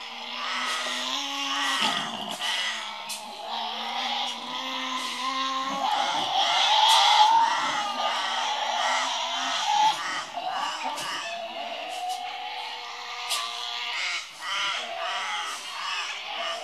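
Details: Two Tasmanian devils (Sarcophilus harrisii) at Tasmania Zoo on 18 June 2024 call at each other, trading harsh, rasping screeches and moaning growls back and forth.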